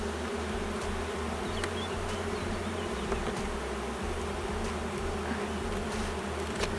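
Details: Drone-laying honey bee hive that has lost its queen, inspected with honey on the frames but no brood. An even, sustained buzzing hum runs the whole time, with a broken low rumble beneath and occasional sharp clicks.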